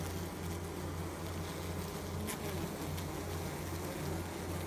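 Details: Honey bee wings beating produce a close, steady low-pitched drone with a slight throb, heard over a constant hiss of background noise.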